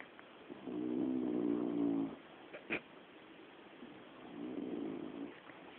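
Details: Sleeping female pet dog snoring so deeply that she does not wake; one long rasping, harmonic snore breath of over a second, a sharp click, then a softer second snoring breath in a quiet setting.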